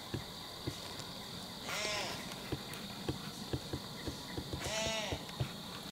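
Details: Wild doe in heat bleating as she moves under a tree: two short, arched, nasal bleats three seconds apart, set against steady crunching hoofsteps in dry leaves.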